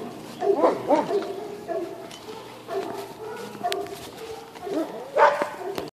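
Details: Dogs bark near a calm horse; a few scattered, fainter barks at the start and again near the end, with quieter background noise between them.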